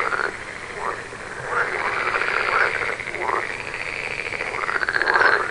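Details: Frog croaks standing out from a softer chorus, several distinct upward-sweeping, rattling calls about a second apart, then a longer pulsed trill near the end.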